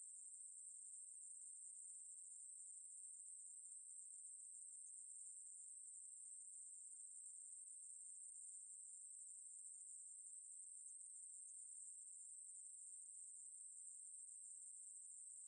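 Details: A Ruspolia katydid gives a long, unbroken shrill buzz. The very high pitch and level stay constant over fifteen seconds. No other sounds are present.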